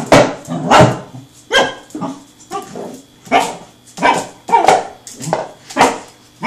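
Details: Seven-month-old male Pembroke Welsh Corgi playing with a rolling tin can, barking in a steady run of loud, sharp barks about every second, with faint human voices between them.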